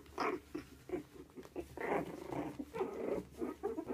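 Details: Havanese puppies growl and grumble in playful bursts, rough mid-pitched sounds with short squeals, indoors in a small room.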